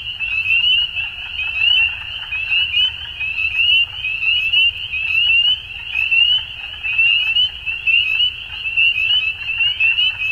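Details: Frogs in Ontario, Canada, calling at dusk in spring, a steady wall of piercing rising chirps from many animals, rhythmically surging louder and quieter through ten seconds, a dull low hum underneath.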